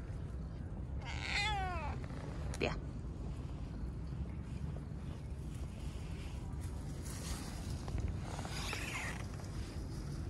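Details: Stray street cat being petted outdoors: one clear, drawn-out meow with a falling tone early on, a sharp click shortly after, and a fainter meow-like sound later, over a steady low rumble of street noise.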